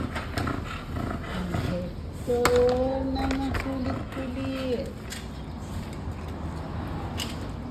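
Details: An American Bully named Hector, playful and loving, lets out one long, steady, whining moan of about two and a half seconds. People chatting in Tagalog are heard before and after.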